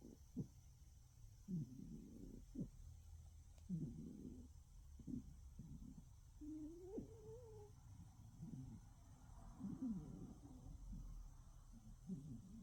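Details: A sleeping cat snoring in the dark: soft, low rasping breaths repeated every second or two, with a faint rising squeaky tone midway, quiet background.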